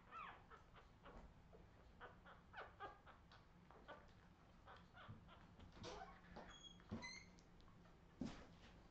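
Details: Redwing Australian Terrier puppies recorded in 2018 give scattered high whimpers and thin squeals, including a few clear whistled notes near the end, amid shuffling, thumps and low indoor hum.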